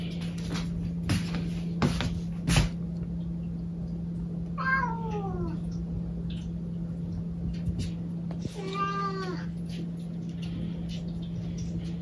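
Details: Two separate meows from a pet cat, about four seconds apart. The first is a falling, whining call and the second is fuller and wavering. A constant low hum and several sharp knocks come earlier in the recording.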